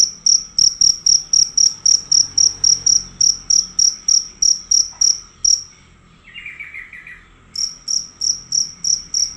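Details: Fierce cricket giving loud, nearly unbroken chirping: rapid sharp high pulses repeated several times a second, a short pause with a faint buzzy trill, then the chirping resumes.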